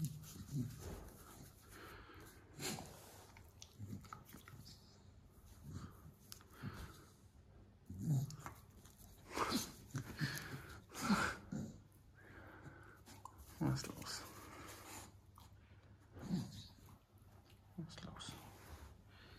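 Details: Staffordshire Bull Terrier that wants to bite a person, growling indoors: low, rough bursts of growls and snorting breaths come in uneven pulses every second or two, some rising louder, with a faint room echo.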